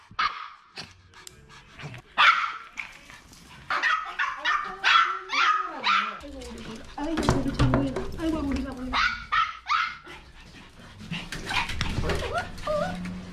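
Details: Maltese dogs at home, a family of a male, a female and their daughter, give clusters of short high barks and some whining, sliding yelps, with people talking throughout.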